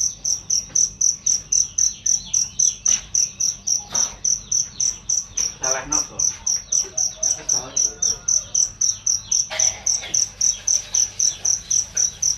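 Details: Loud, clear cricket chirping meant as a master sound for training songbirds: even, piercing high pulses repeated about four times per second throughout, with scattered bird calls and brief clicks underneath.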